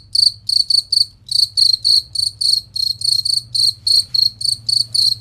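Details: Cricket, recorded clear and loud as a master for competition songbirds: high chirps in quick bursts, about three per second, some in close pairs, over a faint low drone.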